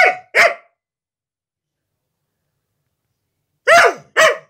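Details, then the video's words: Siberian Husky female protecting her new carpet from anyone who approaches: a quick pair of barks, then quiet, then another pair of harsher barks with a falling, slightly growly edge, in a quiet indoor room. "Husky protects her Carpet!"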